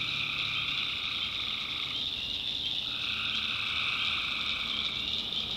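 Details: Tree frogs massed in a North Carolina backwoods swamp after dark, their continuous trilling chorus briefly thinning mid-clip before swelling again, beneath a steady shrill high buzz resembling crickets.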